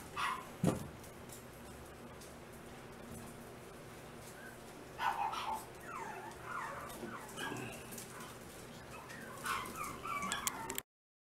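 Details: Chocolate pocket Chihuahua with green eyes gives short, high, whiny yips, one near the start, one at about five seconds, and a cluster near nine to ten seconds, over a steady low background hiss indoors.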